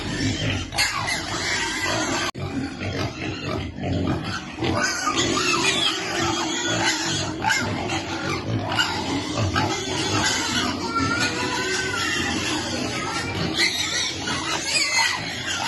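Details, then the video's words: Hungry baby piglet waiting for food during feeding. Repeated grunts and short, rising and falling squeals, especially in the later part, over a constant noisy background. "Baby piglet waiting eat food"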